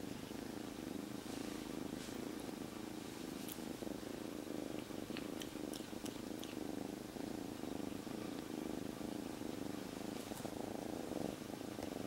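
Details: Kitten taken in from the streets three days before keeps up a continuous loud purr tucked in a jacket, calm rather than restless; dense even rumble with rhythmic breath pulses, occasional fabric rustling and light ticks.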